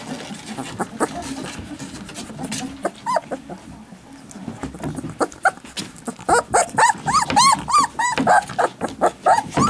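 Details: Alaskan Malamute puppies, with rustling and scattered soft whines at first, then a burst of rapid, high arched squeals and yelps repeated several times a second in the last four seconds.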